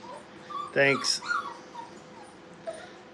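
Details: Playing Brittany puppies at a dog training kennel: a sharp, harmonic yelp, followed by softer high whimpers that dip and fade over the next second.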